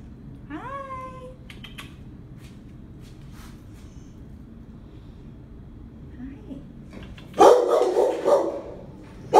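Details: A 4-year-old female Rottweiler gives a brief rising whine, then after a quiet stretch a harsh burst of deep, loud barks; Rottweiler.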